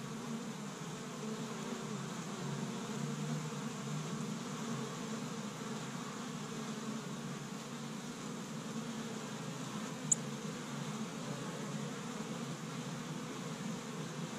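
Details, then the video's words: Honey bees of an established hive in Michigan, busy on the first warm spring day foraging pollen from tree buds; low steady drone of many bees, one sharp tick midway. "See Busy Honey Bees Active in the Spring"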